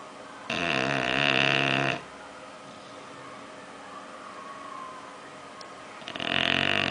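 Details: Sleeping, dreaming bulldog Oliver gives a loud, rasping snore about one and a half seconds long, followed by several quiet seconds and the start of another rough snore.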